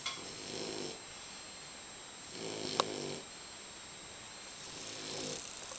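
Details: Bulldog snoring very loudly: rough, breathy rasping snores rising and fading, repeating roughly every two seconds, with one sharp click midway and quiet background between breaths.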